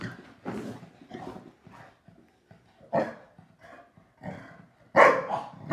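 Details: Shar Pei Yum Yum and Boston Terrier Bunny in their nightly after-dinner play session. Scattered growls and gruff barks come in uneven bursts separated by quiet pauses, and a louder, sharper bark closes the clip.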